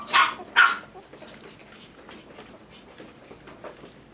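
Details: Male toy poodle puppy kept by a breeder in Tokyo, Japan, letting out two loud, sharp yaps in quick succession, followed by several seconds of much fainter yips and soft whimpering sounds in a quiet indoor setting.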